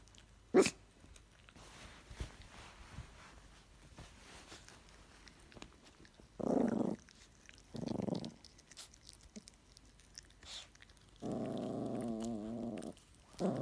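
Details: Older Yorkshire Terrier growling to warn a new puppy away from her chew: low rumbling growls in short bursts, then one longer, steady growl of about a second and a half, with small rustling sounds between.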